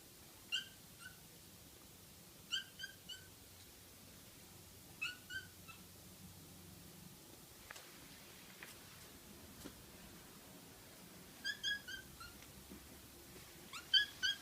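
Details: Young house kitten, recorded while still small, uttering brief high 'kya' cries in clusters of two to four. The clusters are separated by pauses of about two seconds against a quiet room background with occasional soft taps.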